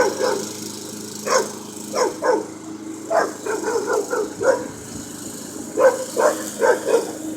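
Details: Puppy barking at a lawn mower it dislikes, picking a fight with the moving machine: sharp, high yapping barks in irregular clusters of two or three, with a constant mower drone underneath.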